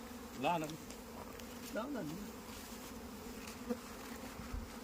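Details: Honey bees on a beekeeping farm in India: a steady, low droning buzz runs throughout, with brief rising and falling tonal swoops near the start and again around two seconds.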